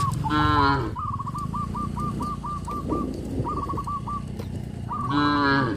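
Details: Cows grazing in a field on a traditional village farm, moos opening and closing the stretch, with a repeated pulsed whistle-like tone running between them and a low rumbling background.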